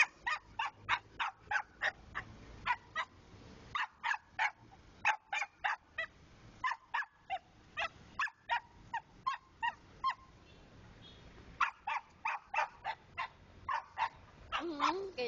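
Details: Long stretch of rapid, sharp yapping from a pet dog, bursts of barks coming about three per second with short pauses, ending in a drawn-out, wavering whine.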